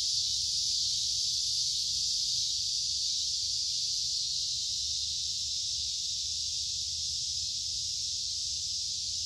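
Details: Cicadas heard in summer, one continuous sizzling high-pitched drone that fades very slightly toward the end, with nothing else clearly audible.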